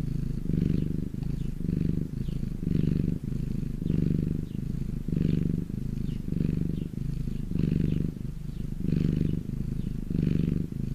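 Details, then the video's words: A domestic cat purrs in the sunshine, giving a low, throbbing purr with alternating stronger and softer phases about once per second and a faint breathy hiss on the louder pulses. "my cat purring in the sun"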